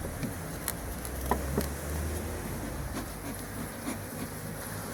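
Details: Bees at a bee farm, a low droning hum with short steady tonal stretches rising and fading, over a dense background of soft clicks and rustling.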